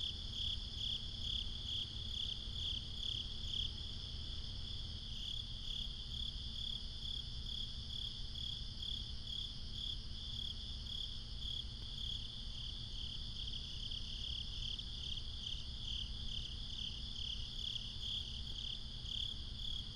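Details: Crickets chirp at night in a steady, high, pulsing chorus over a low background rumble.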